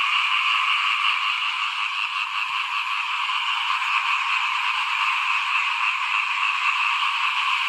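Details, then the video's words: In front of a house during rice sowing season in 2021, a chorus of small frogs keeps up a steady, dense trilling, rapid pulses running together at roughly three per second with little pause. "เสียงเขียดร้องหน้าบ้าน ตอนหว่านข้าวเตรียมปลูก"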